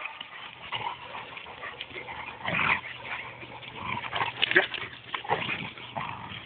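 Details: Rhodesian Ridgebacks in Mombasa, caught on a phone: brief tonal whines and yips rise out of a steady low hum, the strongest around the middle and again toward the close.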